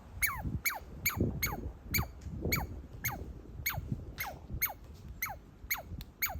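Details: A baby squirrel under a deck railing, excited at seeing a person and chewing on a walnut, gives quick, high squeaks that slide downward, about twice a second.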